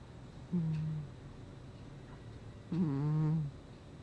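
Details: Two low, buzzy snoring breaths from Gnusmas, a pet cat asleep in August 2020. The first is short and the second longer and fuller, with a nasal whine, separated by a brief quiet gap.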